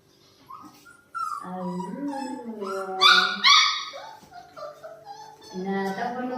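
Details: A pet dog begging for curd rice: high, wavering whines and yelps that rise and fall, with a louder drawn-out squeal near the middle and more whimpers at the end, while a woman speaks quietly nearby.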